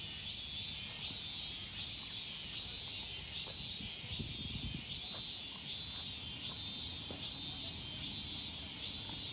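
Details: Shrill pulsing of the evening cicada, or higurashi, recorded in Japan. Evenly spaced high bursts repeat a little more than once a second over a constant hiss, with soft low background noise and a brief thud midway.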